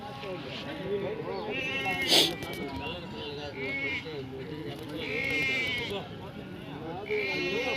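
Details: Sheep at a Punganuru sheep market, bleating in wavering, harmonic bursts several times amid constant overlapping men's voices and market chatter.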